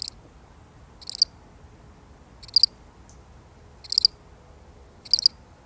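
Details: One solitary cricket chirping in a genuine recording: five bright, shrill pulsed bursts spaced about a second and a quarter apart, each with a few rapid pulses, set against a near-silent background.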